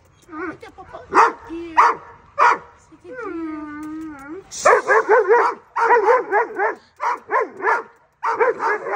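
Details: Doberman Pinschers, a two-year-old male and an eight-month-old female, in offensive, reactive training behaviour: irregular bursts of rough barks, a drawn-out wavering whine-like tone partway through, then rapid barking runs with brief pauses.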